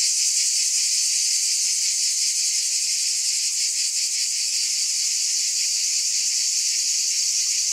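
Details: Cicadas in a continuous high, hissing buzz, steady in loudness with a faint rapid pulsing throughout; no other sounds stand out.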